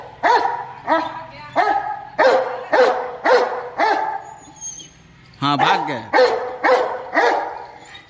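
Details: Aggressive Rottweiler barking at a cow to chase it away: a run of loud, harsh barks about every half second, a brief pause, then a sharper burst and more barks at the same pace.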